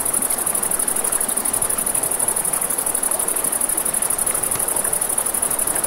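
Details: By a river at night, crickets give an unbroken high rapid trill with an even beat, set against a dense rush of water; campfire crackles are few and soft.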